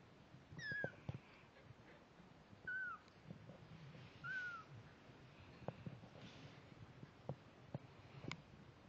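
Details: Snowshoe Siamese cat Layla and her week-old kittens: three clear, high, thin mews that slide downward, about two seconds apart, followed by soft rustling, bumps and clicks of wriggling movement.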